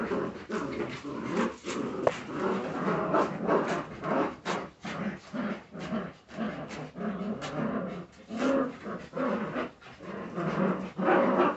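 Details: Several Jagdterrier puppies keep up a steady run of short, raspy growls and yelps, with sharp clicks and scuffling between the noisy bursts.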